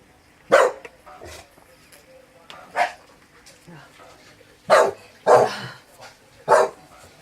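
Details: Staffordshire Bull Terrier barking at a strange noise: five loud, abrupt barks spread unevenly over seven seconds, with two coming close together near the end, over a faint steady hum.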